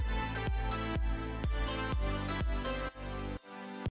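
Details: Electronic dance music with heavy bass pulses and a sharp cut near the end; no animal is heard.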